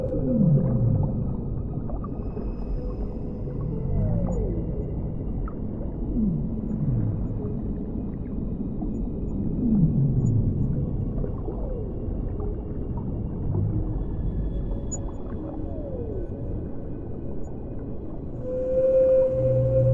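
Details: Whale song recorded underwater: low moaning calls and repeated downward-sweeping groans roughly every few seconds, with a steady tonal hum near the end over a constant rumbling underwater background.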